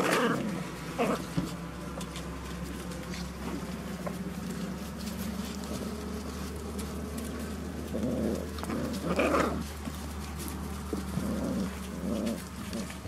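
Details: Five-week-old Beauceron puppies from a breeding kennel, litter of Fuertès and Narte, recorded 22 November 2018 around feeding time; short whining yelps come in bursts over scuffling paws, clatter and a steady low hum.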